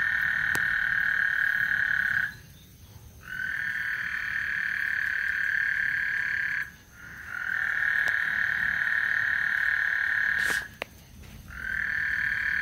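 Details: Singing frogs on Lake Houston as a thunderstorm approaches; long droning high trills of several seconds alternate with short silent gaps, while faint clicks and a quiet low background sit beneath them.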